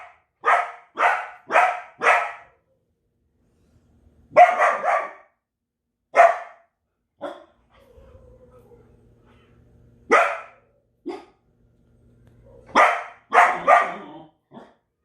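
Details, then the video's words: Loud, sharp barks from a Belgian Malinois, fired in quick runs of three or four, then single barks and pairs spaced by silences and a faint low hum. "Extreme Barking | Belgian Malinois"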